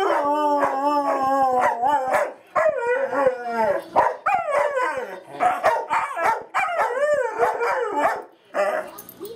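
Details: Singing dog howling in a string of wavering, yodel-like notes that rise and fall repeatedly, broken by short breaks, steady and loud throughout.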